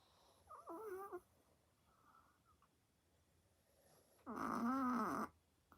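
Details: Sleeping pet chihuahua indoors, snoring very loudly: two short wavering, whistly nasal tones, the first near one second and a longer, louder one around four to five seconds, with quiet breathing between.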